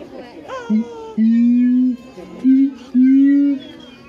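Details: Siamang at Higashiyama Zoo booming out a series of sustained, slightly rising low tones, four loud notes within a few seconds, with crowd talk and chatter beneath.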